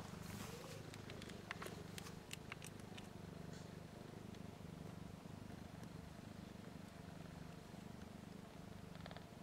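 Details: One-week-old nursing kittens, a litter of four (three female, one male) with eyes and ears not yet open, beginning to purr; a steady low pulsing rumble runs throughout, with a burst of light clicks and ticks near the start.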